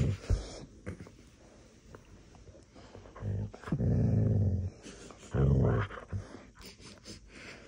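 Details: Siberian Husky at play, sniffing: a few soft sniffs and clicks give way to two low, rumbling growl-like bursts, each about a second long, separated by quiet gaps, with faint scuffling between.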